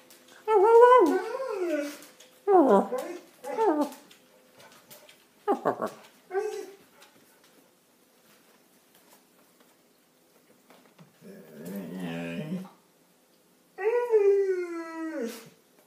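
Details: Six-year-old Keeshond and German Shepherd mix dog 'talking' indoors: a series of drawn-out, wavering howls and moans with sliding pitch, in bursts of one to two seconds separated by pauses, in a small room.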